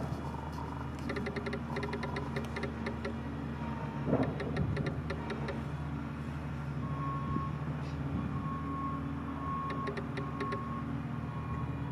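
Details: Steady low engine hum with mechanical whirring, a few sharp clicks, and a repeated electronic tone, with no animal voice heard.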